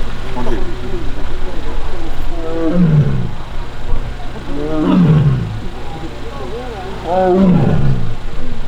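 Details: Taebeom, a young Korean tiger in the tiger forest of Baekdudaegan National Arboretum, South Korea, on August 1, grumbles after failing to win back a mat. Three drawn-out falling moans come about every two and a half seconds over a steady low hum.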